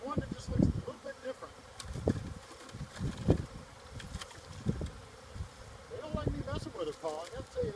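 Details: Disturbed wild honey bee swarm, roughly 30,000 bees, agitated while beekeepers handle frames and look for the queen; dense low buzz mixed with knocks and bursts of male speech near the end.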